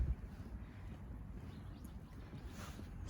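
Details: Low outdoor rumble and wind noise fill the short stretch with a faint rustle near the end; no animal voice is heard.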